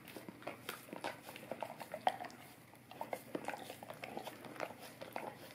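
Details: Wet, rhythmic licking from a Golden Retriever on an Orapup tongue cleaning brush, heard up close indoors as clustered smacks and tongue clicks with a brief lull midway.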